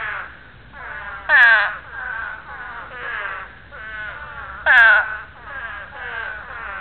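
Several spadefoot toads call at once, each giving a harsh, nasal, falling groan about half a second long. Two louder callers nearby stand out above the steady chorus of breeding calls.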